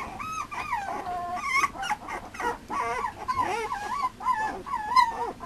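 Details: Male Mame Shiba Inu puppy whining steadily: a chain of loud, wavering, sing-song whines, each rising and dipping, repeated almost without pause over five seconds, with a few soft thumps between.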